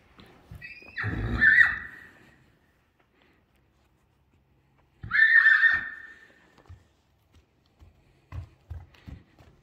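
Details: Purebred Akhal-Teke horse at a stud farm in Dubna, Moscow region, Russia, whinnies twice about four seconds apart. Each call is a loud, shrill squealing burst over a throaty low base, followed by scattered soft knocks and clicks.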